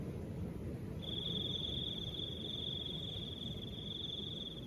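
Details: After a second of wind alone, a cricket starts one continuous high trill that carries to the end, set against soft, steady wind.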